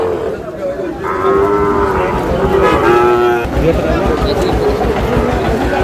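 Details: Young Sahiwal bull calf, eight to nine months old, headed for Dhaka: one sustained, steady-pitched moo lasting about two seconds, set against crowd chatter and background noise.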